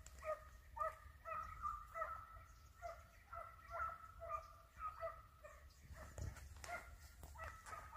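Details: Hunting dogs giving tongue while chasing a hare, with distant harmonic baying notes repeating roughly twice a second in an overlapping chorus, and a brief thud and rustle near the end.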